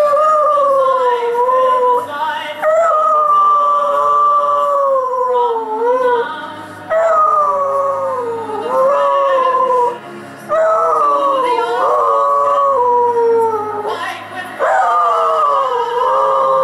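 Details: Dog howling along to Kate Smith's rendition of God Bless America during the New York Yankees' seventh inning stretch; long wavering howls rise and fall with the song, breaking every few seconds over the loud recorded music.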